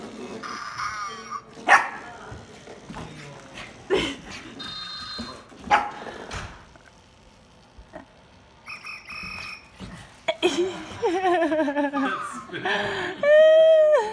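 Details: A Shiba Inu puppy confronting a Zhu Zhu Pet toy gives short yappy barks and whines among the toy's squeaky electronic chirps.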